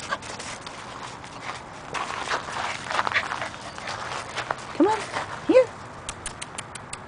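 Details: Black female Chow Chow puppy at home with her family and half-sister Spirit gives two short, whining yelps that bend up then down around the middle, followed by a run of quick clicking ticks, amid soft background rustle.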